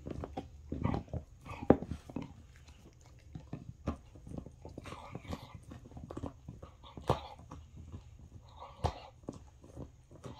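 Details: Bull Terrier gives short, rough grunting and snuffling bursts indoors, with a faint voice in the background.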